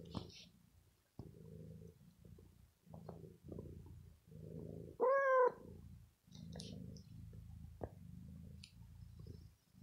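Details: Bella, a pet cat who is ill, purrs after a little pampering while biting and playing with clothes; a steady low rumbling purr in rhythmic breath cycles, with one short higher meow-like tone midway and faint clicks.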